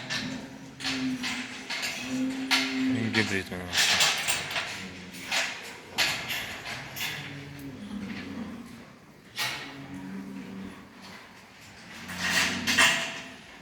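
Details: Bulls at a farm in Quva district, Fergana region, Uzbekistan, including a hybrid, offered for sale: low droning moos recur through the clip beneath a man talking, with clatter and noisy background.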